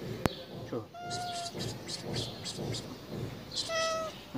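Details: Starving stray cat in Martil, Morocco, its mouth hurt after someone hit it, fed during a lockdown feeding effort; two short tonal meows, one early and one near the end, amid rustling, eating noises and faint speech.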